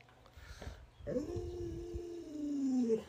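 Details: Alaskan Malamute dog fussing and pleading indoors to be given a piece of watermelon: one long drawn-out whine, rising sharply then holding steady and sliding slowly downward for about two seconds, after a short quieter vocal sound.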